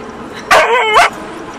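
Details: Diesel, a husky, yowls while attacking the back window wiper inside a car: one drawn-out, wavering vocal note of about half a second, rising then dipping and rising again, over low car cabin noise.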